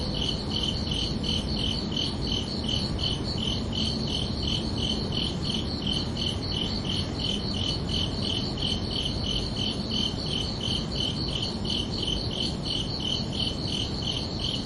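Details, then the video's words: Crickets chirping under a night sky on a summer evening: a steady, rapid train of high, bright pulses, roughly three each second, layered over a constant low hiss. "Calming Cricket Sounds for Relaxation"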